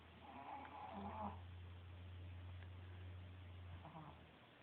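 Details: A female Pekingese, a very loud snorer, snores the afternoon away with a low, steady rumble lasting several seconds, recorded on a cell phone from across the room.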